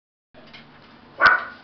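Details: A Beagle gives a single sharp, loud bark after a moment of low background hum, the bark ringing briefly before fading.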